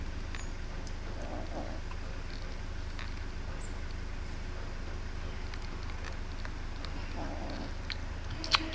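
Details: Hungry kittens, three of them, with a greedy black kitten among them while eating; two faint, short mewing calls rise out of a steady low hum, one early and one near the end, with scattered small clicks.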